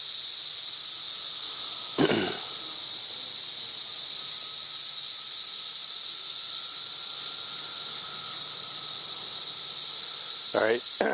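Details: Cicadas singing up in a tree on May 31, 2024, reaching about 90 decibels: an intense, unbroken, very high hissing drone at constant loudness, with two brief low thumps near the start and end.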